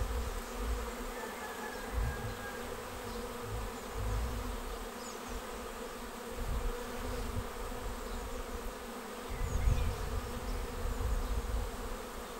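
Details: Honeybees swarming into a swarm trap on 19 May, the whole capture over in about 30 minutes; thick unbroken drone of countless wings with periodic low thuds and swells of louder buzzing.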